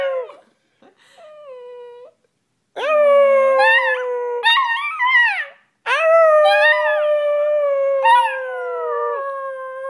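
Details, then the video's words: Puppies howling in long sustained tones that rise then hold steady, with two or more voices overlapping in the second half and brief pauses between bouts. "Crying or Howling??? - CUTE puppies"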